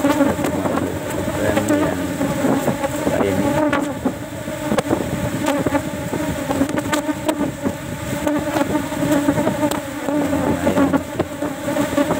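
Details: Asian honey bees (Apis cerana) in the fourth cultivation box of a day's honey harvest, only one frame taken since honey is scarce before the flowering season; a dense, steady low buzzing hum runs throughout, broken by sharp clicks and knocks of handling.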